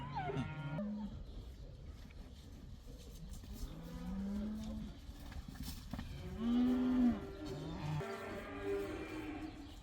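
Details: Cows turned out to pasture for the first time in a herd of around eighty. Distant, fairly faint moos sound over a steady rumble of background noise, with a louder, rising bellow near the middle.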